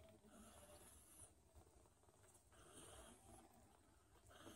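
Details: Don Sphynx cat, a hairless breed of Russian origin, purring indoors: a steady low rumble with soft breathy noise that swells and dips in cycles about every second and a half, no other clear sounds.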